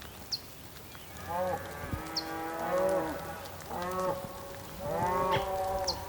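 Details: Several bulls calling on the Patagonian plain in Tierra del Fuego, Argentina, on a rainy day: deep, drawn-out, overlapping harmonic moos rising and falling across four seconds, with brief high chirps in the background.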